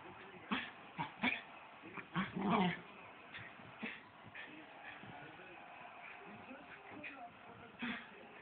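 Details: A female Cairn Terrier chasing her tail gives short, sharp yips and brief growling bursts, with a human voice murmuring.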